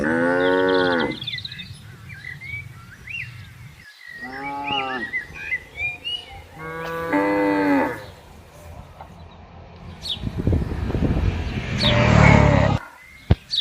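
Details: Tame herded cattle on a wide open field, mooing to call the herd together: three deep, harmonic moos with a falling end, about one second each, separated by quiet gaps, followed by rough noisy bursts near the end.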